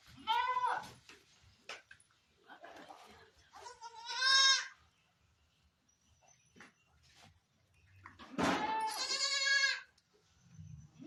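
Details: Barbari goat at a Sultanpur farm during delivery, with several shorter, nasal bleats of varying strength amid rustling and background murmur, the last cry long and loud.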